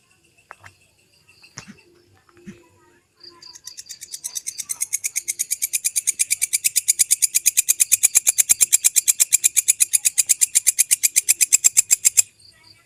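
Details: Authentic belalang kecek grasshopper, recorded to teach songbirds, with pauses between bursts: a few scattered ticks, then a long rattle of rapid high clicks swelling in loudness and holding steady for about eight seconds before cutting off.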